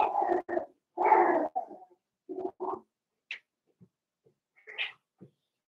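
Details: Four-week-old Cavalier King Charles Spaniel puppies from Daisy's litter in their pen: a run of short, husky whimpering bursts in the first two seconds, then scattered faint squeaks and small thin high cries.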